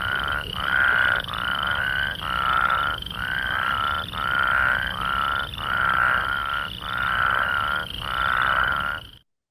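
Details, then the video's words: Plains spadefoot calling: a series of eight short, nasal, snore-like calls, each under a second long, repeated about once per second at a steady mid pitch, with a faint higher trill running underneath throughout. "plain spadefoot has very big eyes with cat eye pupil slits and little teeny tiny red warts, and they make a very wonderful noise."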